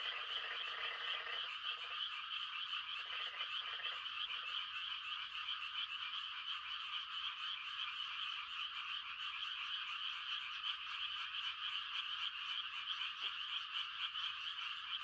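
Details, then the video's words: A rural Korean night chorus of frogs calling to mate in rice-planting season, steady high rapid trills throughout, with a few lower croaking bursts near the start. "The sound of frogs on a quiet country night"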